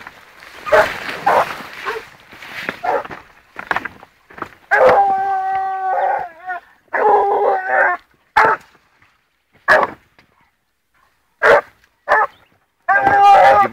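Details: Gora, a 14-month-old female blue griffon trailing wild boar, gives repeated barks and then drawn-out, tonal baying howls lasting about a second each, interspersed with shorter barks at irregular intervals; faint rustling at the start.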